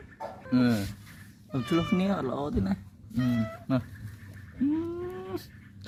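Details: Two pet cats indoors; drawn-out meows with rising and falling pitch, one long upward-sweeping wail near the end, interleaved with a woman speaking Khmer to the cats.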